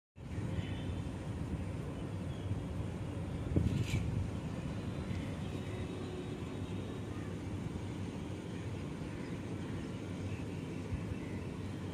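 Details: Steady low outdoor rumble of a vehicle or passing aircraft fills the whole recording, with one brief louder knock near the start and no barking or other animal voice.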